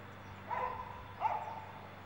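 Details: Isis, a female Irish Setter aged one year four months, at a swimming pool where she swam for the first time retrieving a plastic bottle; two short high whines about half a second apart over faint background hum.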